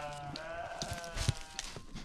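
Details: Himalayan mountain sheep in Nepal during a ram fight; a wavering, nasal bleat lasting about half a second, followed by scattered knocks and thuds.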